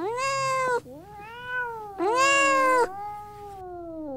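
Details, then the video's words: Domestic cat meowing to attract other cats: two loud, drawn-out meows, each followed by a quieter, lower, wavering mew, with faint low hum behind. "KEDİ ÇAĞIRMA SESİ | KEDİLERİ KENDİNE ÇEKEN SES"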